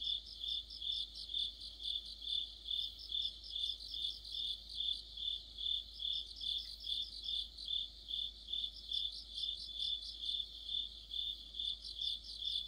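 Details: Crickets and companion insects form a deepening-autumn chorus by a streetlight, high shrill pulses repeating around twice a second, a fainter rapid trill weaving through the steady rhythm.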